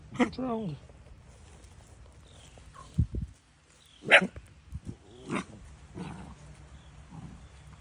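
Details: Great Pyrenees puppies give short, sharp barks, a gag and a brief whiny yelp, with voices nearby.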